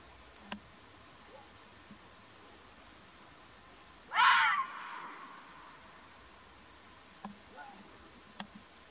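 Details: Wild Arabian fox, the mountain fox of Oman, gives a single harsh, raspy scream lasting about half a second, with a fainter trailing rasp, against quiet natural background with a few faint clicks.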